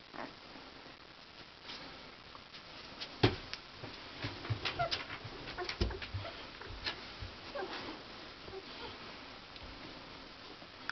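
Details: Akita puppies giving short, soft whimpering calls among scattered clicks, sniffs and patter in a small indoor space, with the bursts clustered mid-clip.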